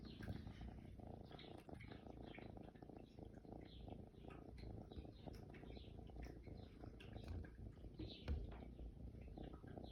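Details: A kitten purring, recorded in June: a soft, continuous low rumble runs steadily throughout, with faint rustling and light clicks above it.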